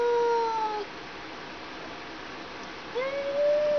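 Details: Two male house cats, uncle and nephew, confront each other indoors, one sitting in the other's spot, giving two drawn-out, moaning yowls: the first steady then sagging, the second rising and swelling after a pause, over faint hiss.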